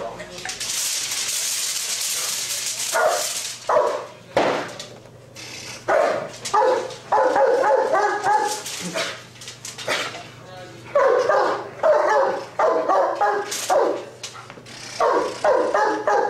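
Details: Giant Schnauzer police working dog barking in bursts of harsh, rapid barks amid loud commands and background noise; several pauses between volleys, with hissy noise early on.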